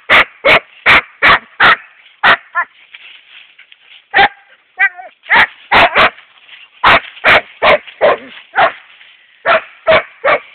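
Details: Young male Siberian Husky named Epos, 7.5 months old, barking excitedly at a hedgehog with fast series of high yaps, broken by brief whimpering yelps and short gaps.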